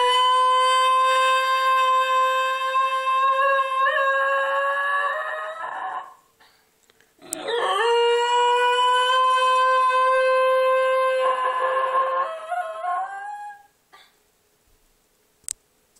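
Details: A 4-year-old male Basenji, a breed bred to be barkless, howls along with a tornado siren in long, steady, drawn-out tones that waver and break near their ends.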